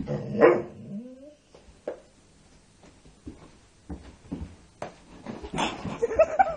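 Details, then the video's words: Female Labrador Retriever indoors at midnight, vocalising because she wants to play ball: a short rising, whining yelp near the start, then quiet scuffling and later brief vocal bursts, with a person repeatedly telling her to lie down. "Labrador Retreiver wanting to play late at night"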